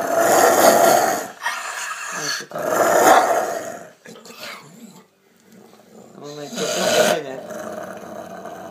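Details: Angry Rottweiler giving harsh, raspy growls in repeated surges, with a human voice speaking in the quieter gaps between growls.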